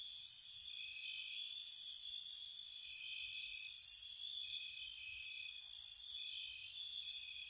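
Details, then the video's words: Crickets at night in spring around a cottage, a steady high trilling band with several overlapping chorus layers and short bright bursts of higher chirps recurring every second or two. "Spring Cottage Night Ambience, Nature Sounds for Relaxation & Sleep, Cricket Sounds"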